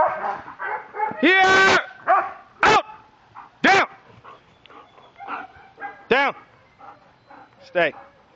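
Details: Miami K9 Enforcement German Shepherd Ricon during police aggression control work gives several sharp, rising-then-falling barks spaced one to two seconds apart, while a handler gives commands and praise between them.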